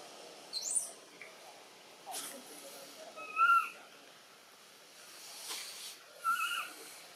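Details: Baby macaque Button, bitten by the monkey Cara, in Siem Reap Province: two clear tonal, slightly falling cries, each with a higher overtone, about three seconds apart. Short high squeaks, soft rustling and faint background voices are also heard.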